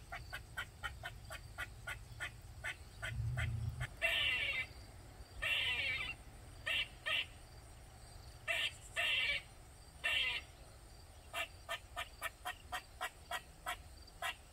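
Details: Squirrel in a Maryland backyard, loud for over 45 minutes: a fast run of short dry chips, then longer rasping buzzy calls with gaps, then the quick chips return. A brief low thud sounds near the start.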